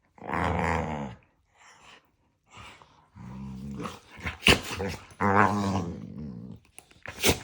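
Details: Pair of pet dogs bickering nose-to-nose indoors, trading playful love bites; long harmonic growl-yaps in sustained bursts, a sharp sneeze-like snort mid-way, then another drawn-out vocal growl and crisp snorting bursts at the end.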